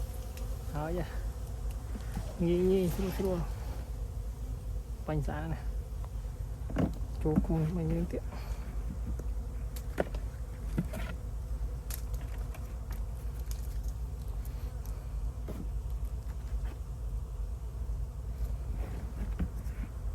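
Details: Continuous low droning of wild bees during a hive search in mangrove and Khmer forest, three nests found; human speech dominates the first eight seconds, then the humming buzz carries on alone with occasional clicks.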